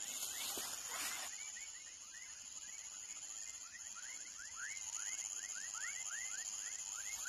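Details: Baby frogs calling with a fast, regular series of short upward-slurred chirps, about four each second, over a steady high insect tone; a burst of broadband noise opens the recording.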